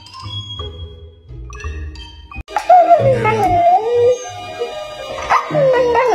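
A Siberian Husky gives drawn-out, wavering howls, sliding up and down in a sing-song pattern. A woman's questioning voice comes first, with faint background music.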